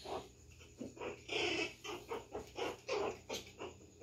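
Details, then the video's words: Pinscher puppy Bonnie provoking Maia the poodle: quick, irregular high-pitched yaps and squeaky growls in short bursts, with a slightly roomy echo. "Pinscher irritando a poodle."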